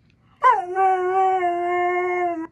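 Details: Siberian Husky's 'talking' vocalization in response to a smart speaker: one sustained, steady howl-like moan lasting about two seconds, harmonically rich with a sharp onset and slight pitch sag, indoors with no other sounds.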